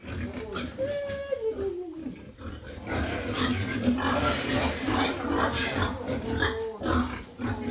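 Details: Pigs on a farm restocking after an African swine fever outbreak wiped out the herd; a sliding squeal early on, then dense overlapping grunting and rough squeals from several animals in a barn.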